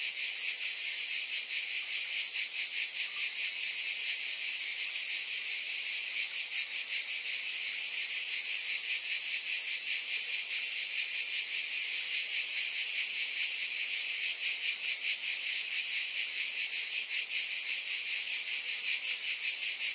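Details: Massed cicadas buzzing without pause, a bright high-pitched wall of sound with rapid pulsing texture, even and unchanging from start to end.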